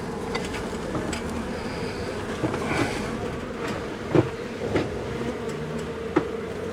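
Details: Honey bees from a long-time colony inside a house wall, agitated after dark on day one of a March 6 cutout. Constant low buzzing hum with scattered sharp knocks and clicks, like tools striking wood.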